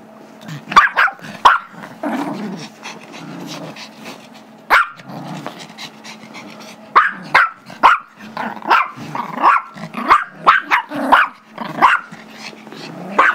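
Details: Gizmo the Chihuahua/Yorkie mix, five years old, keeps barking for a squeaky toy during a tug game with his Yorkie brother Tigger; scattered shrill barks, a quieter stretch mid-way, then a rapid burst with growly scuffling.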